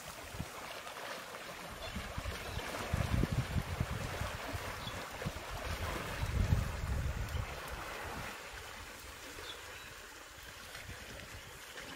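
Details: Wind gusts and a low, steady rumble like water or a boat engine fill the recording. No animal voices stand out above the noise.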